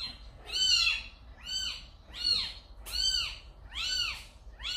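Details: Five drawn-out cat meows in quick succession, each a bright rising-then-falling arc with a slight rasp. Recorded at a house where a calico mother cat, Samsaek, dropped off a kitten.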